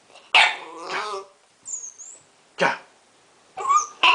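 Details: Blue Pit Bull puppy named Jah, seven weeks old, giving loud harsh high-pitched barks and yelps in short bursts with pauses between, plus a thin whistle-like squeak in the middle; voices heard around it.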